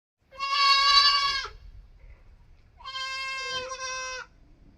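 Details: Goat kid bleating: two long, high, nasal bleats about 1.2 seconds each, steady and slightly wavering, separated by a quiet pause of roughly a second and a half.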